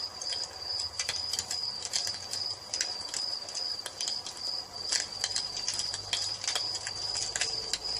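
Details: High, sustained cricket trill in an evening nature setting, almost unchanging throughout, with a fireplace crackling and popping in bursts over it.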